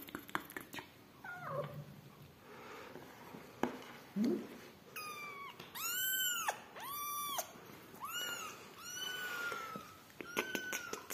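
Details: Indoor recording from the rescue of yellow mother cat Amarilla and her newborn kittens: a run of four loud, arched, high meows, each rising then falling, clustered in the second half, with clicks and soft rustling between.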